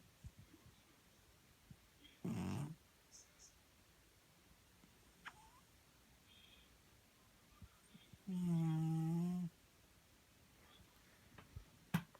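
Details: A sleeping cat snores in a small room. Two separate buzzy breaths, one short and one longer and strongly tonal, are spaced several seconds apart, with faint soft taps between them.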